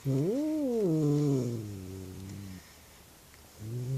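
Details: Indoor female cat freaking out at something seen outside, letting out a long, loud, drawn-out moaning yowl that rises, wavers and sinks over two and a half seconds, then a pause before another yowl begins.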